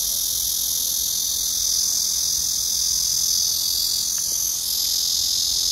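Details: Recorded 31 August 2024, a black cicada's song fills the air as a dense, continuous high-pitched rasping hum, swelling slightly in the middle and dipping briefly near the end.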